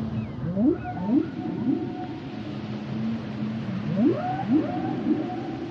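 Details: Singing humpback whale: pairs of fast rising upsweeps repeated roughly every half second, a level droning tone between them, and faint higher squeaks, all over a hissing ocean background.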